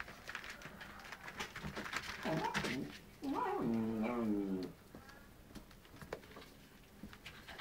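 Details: Newborn Soft Coated Wheaten Terrier puppies, a first litter of nine, indoors: a short squealing whine followed by a longer, wavering, harmonic squeal that rises and falls, with soft rustling and faint squeaks around it.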